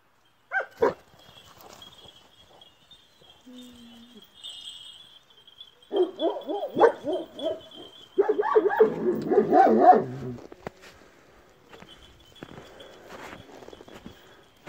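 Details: Kangal puppies vocalising in a short run of yelping, growly bursts between about six and ten seconds, after a single sharp yap near the start; a man speaks Turkish nearby and a faint steady hum runs throughout.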